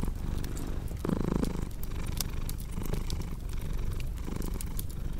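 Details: Close, low purring from a pet cat with steady in-and-out pulses and a brief brighter tonal burst early on, while occasional fireplace snaps crackle in the background.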